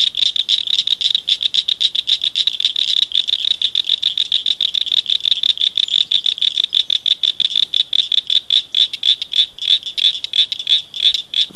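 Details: Several frogs chirping at night in a culvert beside a ditch, loud little callers; a dense, steady stream of rapid high chirps pulses continuously, overlapping into a buzzing, echoing chorus for the whole stretch.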